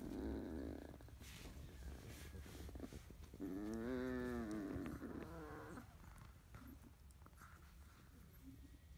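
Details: Morning litter of 31-day-old field-type Labrador Retriever pups piled together; after rustling, one pup gives a drawn-out, rising-then-falling whimper of about two seconds, followed by shorter squeaky whines and quiet movement.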